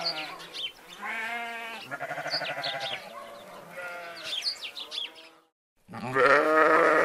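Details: Sheep with goats in a meadow flock: a run of quavering, harmonic bleats, one after another, a brief silence, then a loud, strained bleat closing the passage.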